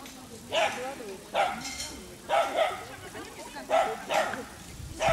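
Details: Dachshund with a rabbit, giving roughly six short, sharp barks, some in quick pairs, spread over five seconds while human voices talk nearby.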